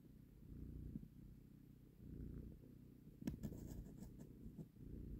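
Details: Purring from a cat as a mother cat collects her kitten from a person's hand. A steady low rumble swells and fades in slow cycles, with light clicking handling sounds partway through.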